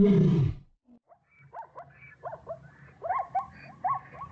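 A tiger gives one deep, rough roar lasting about half a second, followed by quieter, repeated rising chirps from other animals.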